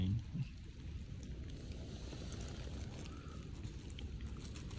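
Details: Low rumbling outdoor noise, like water or a boat, with faint voices and no animal calls.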